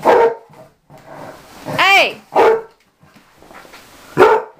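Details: Mamie, a dog about six or seven years old, an outside dog learning to be an inside dog, gives three loud single barks spaced about two seconds apart, with a rising whistle-like human call between them.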